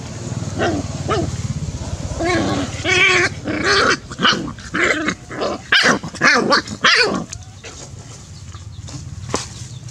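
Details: Puppies play-fighting: a burst of high, harmonic yelping barks and whiny yaps, irregular and roughly twice a second, with snarly overtones, fading to quiet background rumble near the end.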